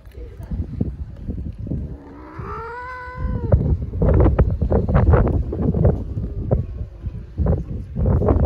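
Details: Friendly homeless street cat in Istanbul meowing at the person who feeds it: one arched meow that rises then falls over about a second, followed by loud human talking.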